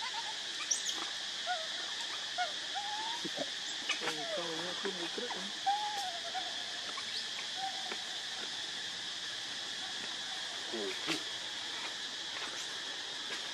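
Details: Baby monkey Leo, also called Rainbow, crying while begging its mother for milk when hungry; thin, wavering whimpers rise and fall in short bursts through the middle, over a steady high insect drone and occasional clicks.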